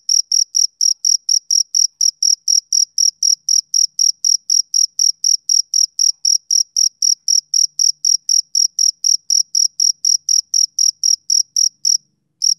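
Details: Male cricket chirping, summer evening ambience: a steady train of short, bright, high-pitched pulses repeated about four times per second, even and unbroken apart from a brief pause near the end, against a silent background.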